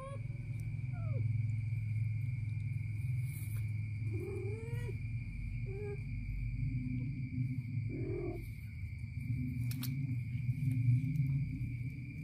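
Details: Kitten biting its mother's stomach lets out a series of short, low, bending meows spread across the stretch, partly buried under a constant low hum and a thin high steady tone.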